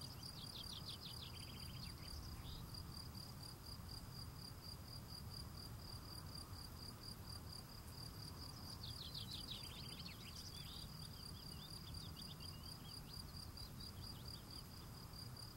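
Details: Field cricket, singing as he cleans his steps, gives a constant high-pitched pulsed chirp throughout. Two short bursts of bird twittering break in, over soft low outdoor noise.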